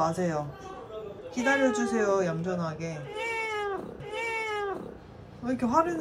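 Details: Domestic cat at home meowing repeatedly, drawn-out wavering meows that rise and sag in pitch, three or four in a row, overlapping with a person's voice chatting nearby.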